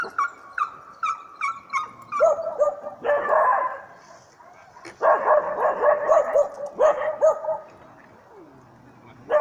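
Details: Dog in training with a mechanical bear at Jokela, Finland, barking at the bear: a run of short high yelps opens, then dense bursts of loud, ringing barks in rapid volleys with brief pauses between.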